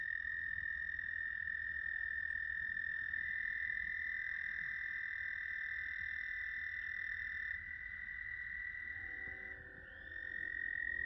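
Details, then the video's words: American toads trilling on May 10, 2022 at South Point, Huron, Ohio: long, steady, high musical trills overlapping in a chorus. "American Toads sound effects."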